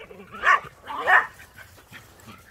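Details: A Border Collie and a Jack Russell Terrier play chase in the snow; two sharp, loud barks come about half a second apart, followed by quiet with faint low rustling.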